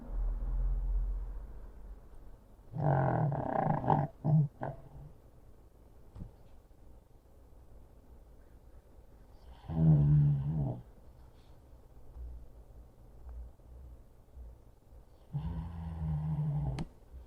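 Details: Male pug sound asleep on his favorite chair, wedged behind the chair's pillow, snoring heavily: three rough, low rattling snores about six seconds apart, quiet breathing between them.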